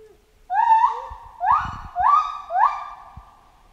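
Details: After a brief quiet opening, a chimpanzee utters four loud, rising hoots in close succession. The cries are harmonically rich and upswept, with some low thumping noise underneath.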